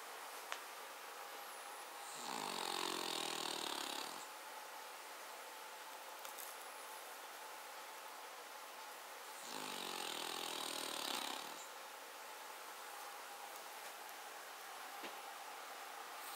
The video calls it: Cavalier King Charles Spaniel - Rough snoring - [Paca]